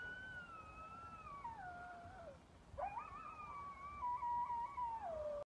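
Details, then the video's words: Coyote howling in upstate New York: a long, smooth, wavering tone that slowly falls, a brief pause, then a second howl that leaps up and glides down again, over a steady low background hiss. "Coyotes upstate ny"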